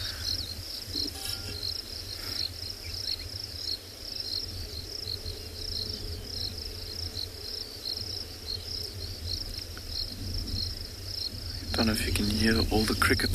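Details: Many crickets chirping in overcast weather after rain around a safari vehicle watching grazing rhinos on a February afternoon game drive in a South African private game reserve; steady high pulsed trilling throughout, low engine rumble, louder noise near the end.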